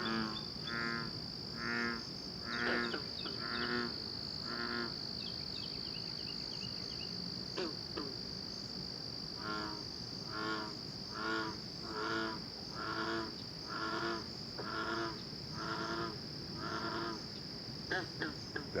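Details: Frogs calling: short pulsed, buzzy croaks repeated about once a second in a loose series, over a constant high steady whine and background hiss.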